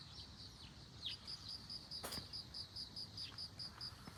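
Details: Bell cricket near globe amaranth keeping up a steady train of high, tinkling pulses, while a sharp rustling burst and a couple of faint swishes cut across the middle.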